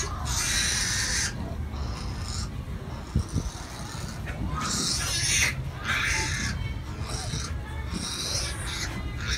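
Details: A preemie newborn piglet, less than a day old and competing with littermates to nurse from its mother, screams loudly in harsh, rasping bursts a second or two apart, angrily demanding milk; a low rumbling hum runs underneath.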